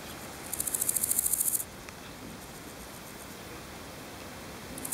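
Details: A singing male large gold grasshopper (Chrysochraon dispar), recorded in Berlin on 7 July 2011, gives a brief burst of high, dry, rasping pulses that quickly speed up.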